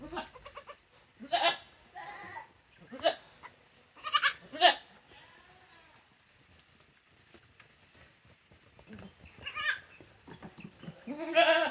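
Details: Tokara goat kids on a goat farm, a young female and a brother-sister pair, recorded 2 May 2024: loud, quavering, harmonic bleats in short bursts, several close together, then a quiet gap and more bleats, with faint human voices.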